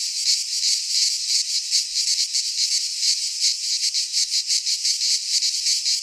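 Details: Cicada song from a pine forest in Greece in midsummer, a loud high whirring buzz pulsing quickly and steadily, the chorus filling the air with no other voices.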